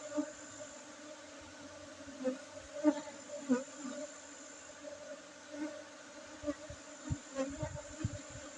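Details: Honey bees at a honey harvest on Monday 5 June 2023, among Gayo Arabica coffee gardens in Bener Meriah, Aceh, Indonesia: a steady droning hum with a clear overtone, swelling in short louder pulses, with a few knocks from handling.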